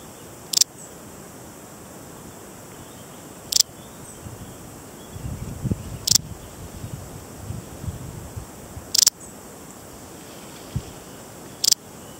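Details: Balearic saddle bush-cricket, Parasteropleurus balearicus, a large species endemic to the Balearic Islands such as Menorca and Mallorca, giving brief sharp high chirps spaced about three seconds apart, with faint low rustling between them.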